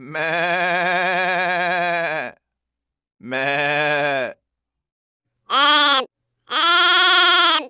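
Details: Goat. Four wavering, nasal bleats come from a goat, rich in overtones with a tremulous quality. The first is long and drawn out, followed by a shorter one, then a brief higher cry and a final bleat.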